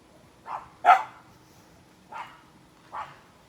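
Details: Domestic dogs barking at home in the Philippines while their owner talks: four short, sharp barks spread over a few seconds, the second loudest and brightest, the rest softer and more muffled.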